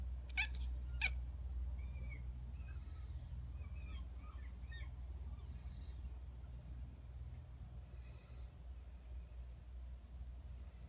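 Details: Kitten chirping while watching seagulls: a run of short, thin, high twittering chirps clustered between two and five seconds, after two sharp clicks at the start, with faint breathy sounds later over a low steady hum.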